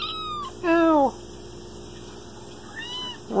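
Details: Talkative Bengal kitten in an apartment kitchen giving a loud, falling meow of about half a second, then a softer arched meow and the start of another, over a steady household hum after a brief noisy burst.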